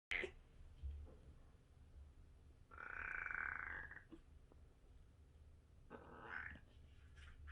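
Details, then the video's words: Kitten 37 days old making strange noises: three soft, strained harmonic cries, the longest a sustained nasal note lasting over a second, separated by quiet pauses with faint low room rumble. "생후 37일째 베리의 아기고양이! 이상한 소리를 내요, 37 days after birth, the kitten makes strange noises"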